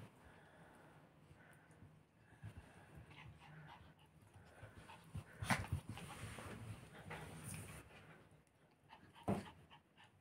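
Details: Chihuahua from a Crimean kennel, now settled in its new home, breathing in soft irregular pants with a few louder snuffly bursts near the end, set against a low indoor hum.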